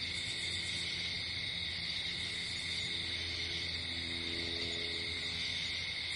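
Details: Night-time crickets in a natural setting keep up a continuous shrill, ringing drone of overlapping trills, with faint low hum-like tones rising briefly midway.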